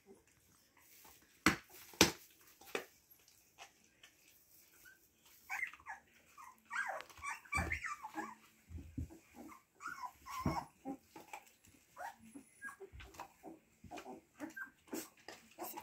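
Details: Siberian Husky puppies indoors, a run of high, thin whining squeaks that rise and fall, tightly bunched through the second half, after a few sharp knocks early on.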